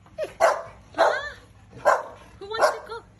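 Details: Dog barking on a sunny day as a person asks who wants to go for a boat ride; four loud, sharp barks come about half a second apart, with soft speech between them.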